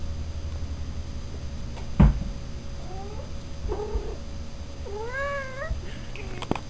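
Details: Black and tan Siamese kitten Raven, eating his first Baby Cat kibble meal, gives a few short meows: one thin bending cry, a brief buzzy one, then a longer rising-and-falling meow near the end, over a steady low hum and one sharp click.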